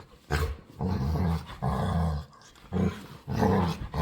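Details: A needy female pet dog, begging to play, produces four low, growly, moaning grumbles of about half a second each, with rough harmonic tones. They are separated by brief pauses.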